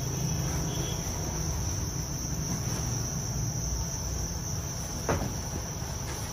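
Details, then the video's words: Thai crickets reared on a breeding farm produce an unbroken, even high-pitched trill, over a constant low hum, with a brief click near the end. "dế mèn Thái"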